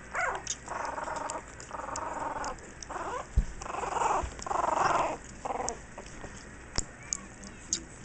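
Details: Jack Russell Terrier puppies being weaned, trying formula from a bowl instead of a bottle for the first time, filmed 25 June 2009 on a Kodak EasyShare camera: bursts of high, harmonic whining squeals come in uneven runs, with a few sharp knocks between them.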